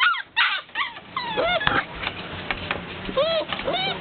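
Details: Several Golden Retriever puppies wanting to be let out, whining and yelping: shrill rising-falling whimpers and short yips overlapping in quick succession, with bumping and faint background voices.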